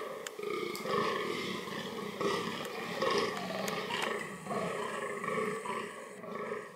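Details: Fallow deer (Dama dama) vocalising as part of reproductive behaviour: rough, harmonic groans running almost continuously, overlapping one another, with scattered clicks and knocks in the background.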